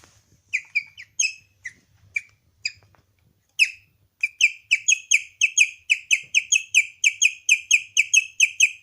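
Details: Pet guinea pig named Leon giving an odd high chirping sound, starting with scattered single chirps and a gap, then settling into a steady, fast series of clear bird-like tones about two per second.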